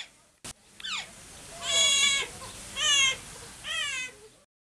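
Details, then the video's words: Captive Asian small-clawed otters at Wuppertal Zoo calling vocally: a sharp click and a short falling chirp, then three drawn-out, strained, harmonic-rich squeals roughly one second apart. "Asiatic small clawed otters are very vocal"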